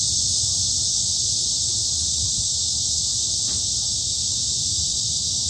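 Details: Korean cicadas singing in a summer forest at Hanbat Arboretum, Daejeon: a steady, high, sizzling buzz with no pauses, one brief faint tick midway.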